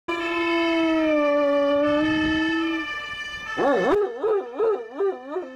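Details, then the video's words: Ten-year-old Giant Schnauzer howling: one long, steady, slightly falling tone held almost three seconds, then a run of quick wavering, yodel-like rises and falls. "Giant Schnauzer Howling"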